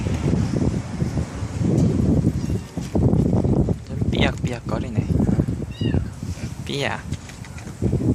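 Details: Four young stray siblings from a residential neighbourhood at a bus terminus, mothered by a young white cat with help from a black aunt cat. Several high, arching mews sound near the end, spaced about a second apart, over steady low rumble and murmuring voices.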